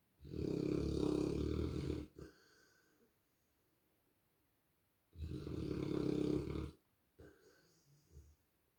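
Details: A Rottweiler snores on the sofa in long, rough, rumbling breaths, each lasting over a second, followed by softer exhales.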